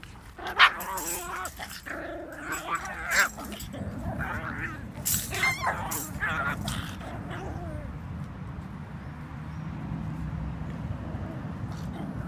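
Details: Cavalier King Charles Spaniel giving a handful of sharp, irregular barks over the first seven seconds, some rising into yips, then falling quiet while a steady low engine rumble carries on underneath.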